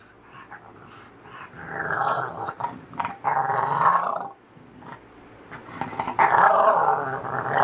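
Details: English Bulldog named Snugs growling during its morning routine indoors, rough throaty growls rising in bursts around two seconds and again near the end, with short gaps of quieter grumbling between.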